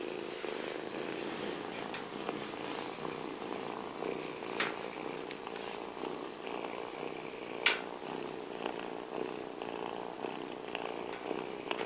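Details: Bulgarian stray kitten, abandoned at trash cans, purrs continuously in an even, buzzing rhythm, with faint background rumble and an occasional click.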